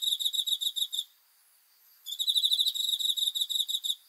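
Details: Night-time cricket chirping, dated 5 August 2020. A brief run of rapid shrill pulses breaks off, leaves a second of silence, then resumes as a steady two-second trill.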